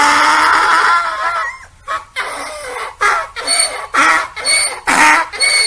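A donkey brays, starting with a long wavering note and then breaking into rapid, rhythmic hee-haw gasps.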